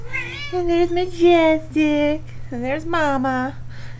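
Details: Kittens nearly five weeks old, four in the litter, give quick repeated mews indoors, about two per second. The calls are thin and bending in pitch, and the last ones swoop upward, while a woman coaxes them.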